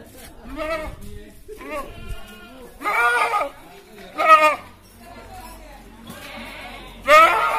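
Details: Qurban sacrifice goat at slaughter time, uttering loud tremulous bleats about every one to three seconds, three strong calls among weaker ones, over background human voices.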